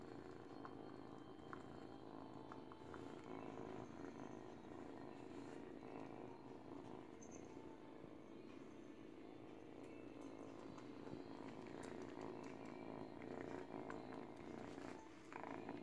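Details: Young kitten, eight weeks old and female, purrs while biting at a baby blanket as she teethes; an unbroken low vibrating rumble with light scattered rustles and ticks.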